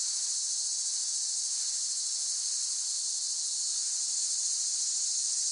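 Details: Cicadas give an unbroken, shrill, high-pitched buzz that holds at a steady level and pitch throughout. The dense, hissing drone has no pauses and no other sounds.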